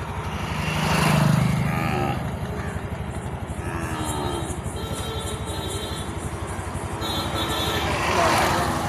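Calves give low, drawn-out moos as they call for their mothers, over a steady engine rumble.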